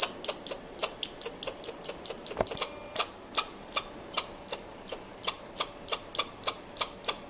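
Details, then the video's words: Long squirrel calling bout of sharp, high, ticking chips, quick at first and then slightly slower, over twenty notes in seven seconds, broken by one dull thump midway. "Squirrel sound"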